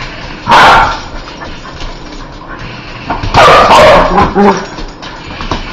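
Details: A dog that hates spiders barking: two loud, harsh bursts of barking, the first short and the second a longer run of several rapid barks, with quieter room noise between them.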